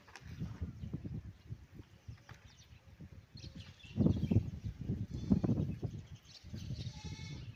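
Cattle give deep, rough bellows in short, uneven bursts during mating.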